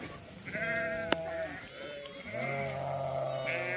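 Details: Goats out grazing with Dhangar herders: several nasal bleats, the first long and level, later ones overlapping, broken by a sharp click and a short knock amid low rumbling background.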